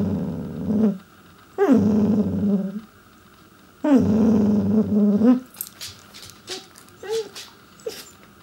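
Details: Pembroke Welsh Corgi vocalizing to get its owners' attention: two drawn-out grumbling growls that start with a yelp-like rise, then softer short whines and squeaks, low household hum throughout.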